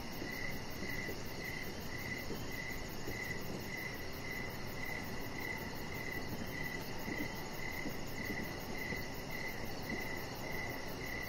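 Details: Crickets chirping outdoors in the evening by a lit deck: evenly spaced mid-pitched chirps repeat steadily, joined by a faint, high, fast pulsing chorus and a continuous low ambient hum.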